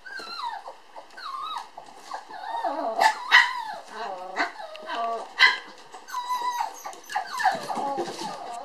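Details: Two toy poodle sister puppies, born July 9, playing energetically. Busy stream of high whining yelps and squeaks with sliding pitch, mixed with short low growls. The puppies often overlap one another.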